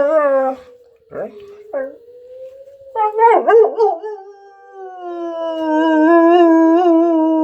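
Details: German Shepherd howling along with a tornado siren drill. Opens with short harmonic cries and brief breaks, then a wavering, rising howl that settles into a long sustained tone over the siren's slow, smooth sweep.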